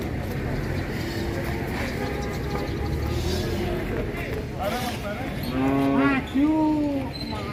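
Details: Large cattle being loaded onto a truck, with a drawn-out harmonic moo near the end that rises slightly, followed by a second short bellow; constant engine rumble and people talking throughout.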